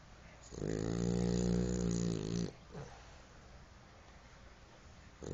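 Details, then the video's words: French Bulldog snoring: one long, low, rasping snore of about two seconds with a droning, harmonic tone, followed by a soft exhale and quiet breathing indoors. "Bulldog francês: Pipoca roncando"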